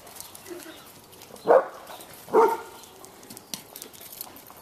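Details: Two Bloodhounds playing with a toy and splashing in a swimming pool; two short, hoarse barks about a second apart near the middle, with faint water noise around them.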